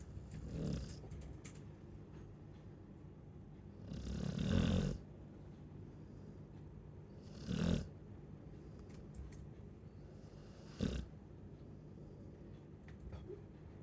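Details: ['Chow Chow dog snoring, four short low rumbling snores at uneven gaps of three to four seconds over a quiet background hiss.']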